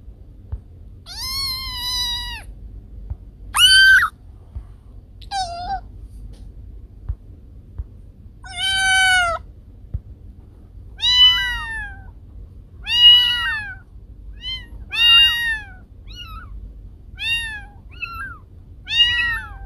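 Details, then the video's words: Meowing cat, sounds said to repel rats: short, high, clear meows repeated roughly every two seconds, some bending up and down, with near silence between them. "Suara Kucing Pengusir Tikus"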